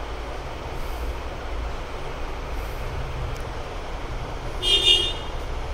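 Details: Steady low traffic rumble runs throughout, with a short horn toot near the five-second mark and no animal call.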